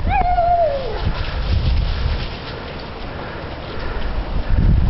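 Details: German Shepherd Maple, playing with a stick, gives her little noise before picking it up: a short whiny note sliding downward over about a second, then rustling and movement while a person urges her to get her stick.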